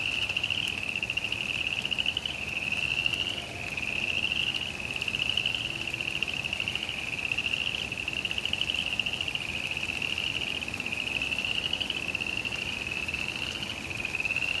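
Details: Frogs calling during rain in a suburban backyard: a steady, high, wavering trill runs unbroken through the whole stretch over constant rain patter.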